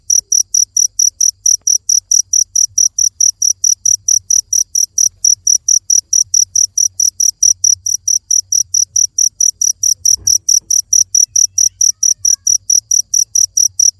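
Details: Steady cricket song: high, pure chirps repeated roughly twice a second without pause across the whole stretch, with a soft low background hum and one brief thump.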